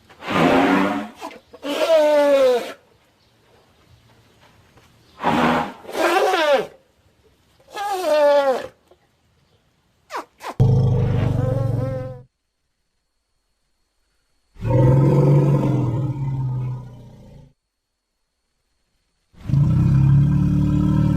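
An elephant gives brassy, wavering trumpets, then long, deep, growling rumbles lasting several seconds each.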